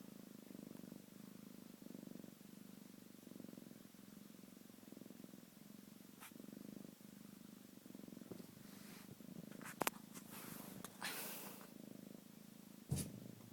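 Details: Pet cat purring indoors, a steady low rumbling purr that swells and eases with each breath, roughly every second and a half. Brief rustling and handling noises are heard near the end.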